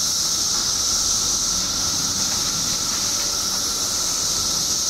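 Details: Billions of 17-year periodical cicadas emerging in Illinois, massed in a steady, unbroken droning whine with a high hissing shimmer.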